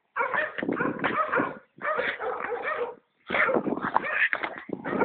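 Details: Stitch, a dog playing with a ball, gives three long bursts of rough, grumbling barks and growls, each about a second long and separated by short silences.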